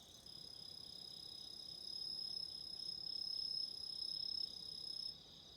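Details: Nearby autumn insect trilling almost continuously for about five seconds, a fast, even pulsed chirr that grows slightly louder then stops abruptly, over a faint steady high chorus of other insects.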